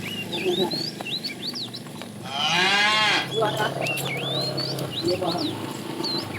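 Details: A tame, fat cow herded in the afternoon calling the female gives one moo of about one second, partly masked by rustling noise, a low hum and steady twittering of small birds.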